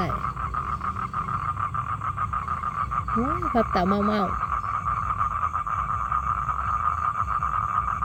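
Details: Male toad calling to attract females for mating, a steady, fast pulsed trill held at one even pitch throughout, with a short burst of human voice in the middle.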